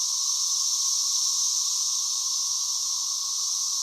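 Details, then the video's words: A dense, continuous chorus of 17-year periodical cicadas around an egg-laying female: the higher-pitched tone is Magicicada septendecim and the shimmering sound is cassini, with a steady, high drone over a lower tone. "You can see the ovipositor right here, and you can hear the chorus of the cicadas around her."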